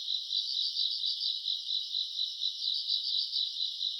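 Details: Self-recorded grass insect chorus from a summer night around August: shrill, continuous chirring with rapid beating pulses from overlapping insects, steady in level throughout.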